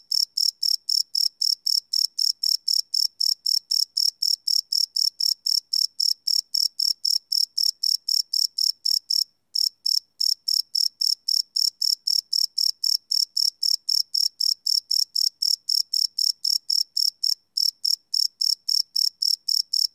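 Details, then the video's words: Nighttime cricket chirping from a live Sony PCM D100 recording, a relentless train of high, bright pulses at about four per second, broken by two short gaps. No other sounds. "Cricket Chirp Sound - Cricket Sounds at Night"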